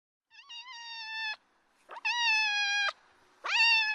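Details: Cats in a family with a Scottish Fold mother and her kittens: three clear meows, each a drawn-out harmonic-rich call about a second long, the last rising sharply at its start, in a quiet room.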